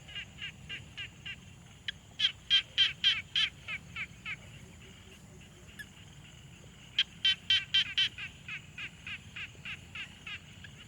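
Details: Frogs calling at a quiet pond, captured on a Tascam Portacapture X6: short pulsed notes repeated about four times a second, with two brief louder bursts where several callers overlap, over a low background hum.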